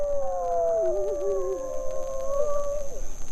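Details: At evening in Italy's Pollino national park, two gray wolves (Canis lupus) howl together, long, mournful, wavering tones sliding downward over faint music, a chorus marking and defending their pack's hunting territory.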